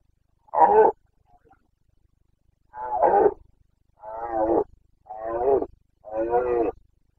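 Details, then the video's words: Boncănit of a Carpathian stag in the forests and clearings of Bucovina, rut season, 29.09.2022: a sharp opening bellow, then four throaty roars in quick succession, each about half a second long, with a slight low hum between them. "Boncănit / Carpathian stag Breeding season"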